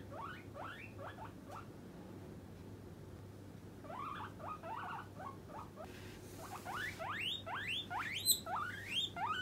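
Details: Demanding call of the pet guinea pig Puipui when hungry and awaiting a snack: bursts of rapid rising squeaks separated by brief pauses, becoming louder and higher in the last seconds, with a steady low hum beneath.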